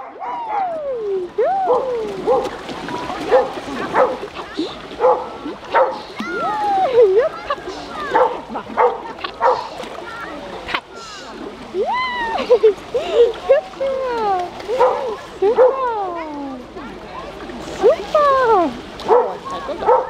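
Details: Several dogs at an outdoor swimming pool give a dense, overlapping run of high arched barks and yelps, rising and falling in pitch, almost nonstop for twenty seconds, with voices underneath.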